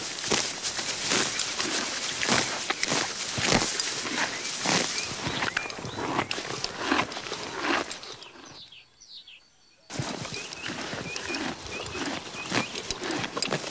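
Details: Horse grazing on grass: busy crunching and tearing bites for about eight seconds, then a near-silent gap, after which chewing returns alongside small bird chirps in the background.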